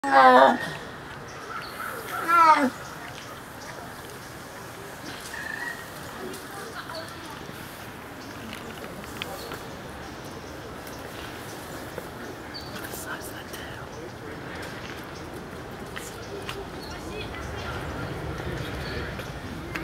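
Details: A female snow leopard at the San Diego Zoo, just after eating a meaty treat and possibly wanting another, gives two brief, harmonic meows a couple of seconds apart, then quiet background noise.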